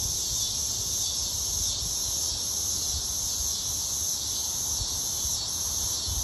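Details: Cicadas sing on a summer day in a steady, high, hissing drone that carries on without a break.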